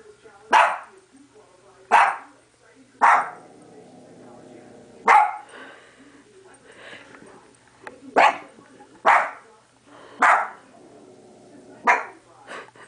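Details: Little female Pomeranian, said to rarely bark, yapping at an intruder in the living room: nine sharp, high barks spaced about one to two seconds apart, quiet voices faintly audible in the pauses.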